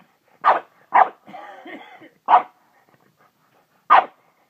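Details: Hana the dog, described as going crazy, gives four loud sharp barks with a brief whining, whimpering sound between the second and third bark, then a pause before the last bark.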